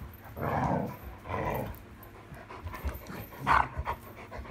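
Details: Irish Setter at night, 26 July 2022, playing with a new toy: two broad, groaning vocal bursts around the first and second seconds, then quieter breathy sounds and a sharper, higher yelp-like burst near the end.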